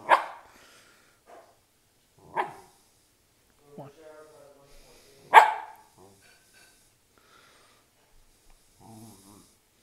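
A Lakeland Terrier gives sharp, single barks spaced a couple of seconds apart.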